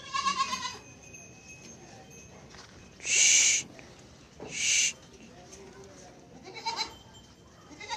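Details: Barbari goat at a Barbari goat farm housing four females: a short harmonic bleat opens, then two loud harsh bursts of about half a second each, with faint bleating near the end over low background noise.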